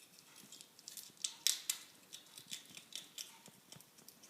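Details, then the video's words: Two-year-old female ferret making a strange grinding noise while eating, possibly teeth grinding; sharp dry crunching clicks in irregular bursts, a few louder snaps near the middle, indoors. "Ferret grinding teeth?"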